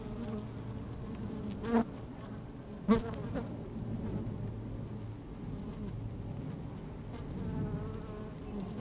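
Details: Honey bees working inside an opened hive on a fine, sunny day, with the microphone slid down into the hive: a steady low hum with a few louder, sharper buzzes as single bees pass close, plus a faint rustle of bees moving.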